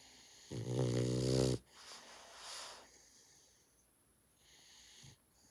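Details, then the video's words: Dog snoring indoors: one long, rough, harmonic in-breath snore of about a second, followed by a softer, breathy exhale, then quiet with faint hiss and a small knock. "#dog #snoring"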